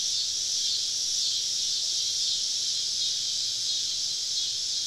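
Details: Cicadas singing all around a woodland campsite on a southern summer evening, their sound an unbroken high shimmering drone that holds a nearly even level from start to finish.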